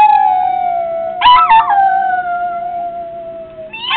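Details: A Yorkshire terrier named Litter Bug howls in response to people meowing at him; a long, steady, slightly falling tone, broken midway by a brief higher wavering yip, with another rising cry at the end.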